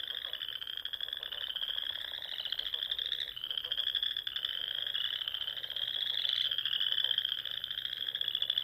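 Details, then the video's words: Frogs chorusing at dusk in spring among small lakes and ponds of the Sandhills dunes, Nebraska: a dense, unbroken wall of high, pulsing trills that overlap and swell in waves, with rhythmic grating beneath. "RELAXING SOUNDS OF FROGS"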